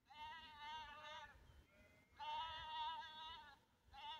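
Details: Lambs separated from their mother calling for her: two long wavering, harmonic bleats about a second each, with a fainter higher call between and a third bleat starting at the end.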